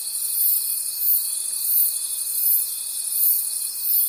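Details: A chorus of crickets in a forest at night: high, shimmering chirring that pulses in regular swells about every 0.7 seconds, accompanied by a constant thin whistle-like tone.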